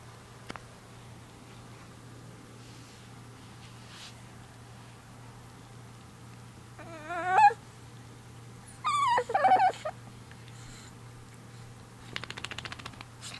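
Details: Shih Tzu/Chihuahua puppy crying while its ear is scratched: a few short, high, wavering whimpers and yips in two bursts, the second a quick cluster of rising and falling whines, with rustling near the end.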